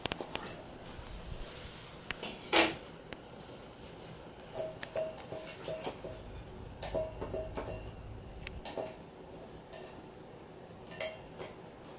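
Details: Clattering of a plate and dish sounds indoors, with no animal voice heard.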